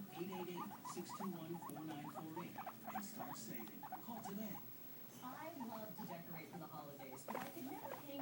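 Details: Two white pet guinea pigs, one patched black and one brown, keep up busy squeaky chatter in quick bursts, with a short lull midway, over a low rumbling purr.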